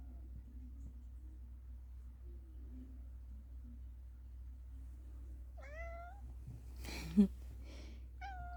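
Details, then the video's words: Male house cat indoors, reacting to birds being fed outside, gives a short burst of bright, chirping trills with bent, wavering pitch, a pause with a sharp knock, then one more chirp near the end, over a steady low hum. "funny cat sounds"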